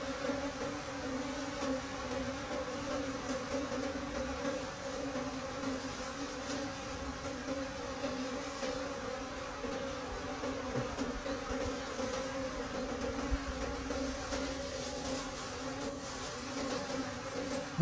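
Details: Wild bees humming steadily deep in a forest during the late-season honey harvest, a continuous low drone with two even tones and no break, faint clicks and rustles of the honeycomb work in the background.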